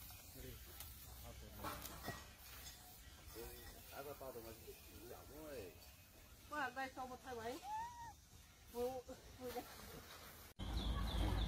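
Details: Baby macaque abandoned by its mother, lying on the ground crying: a quick series of wavering, arched tonal cries that rise and fall, bunched between short pauses, then cut off by a loud burst of noise at the end.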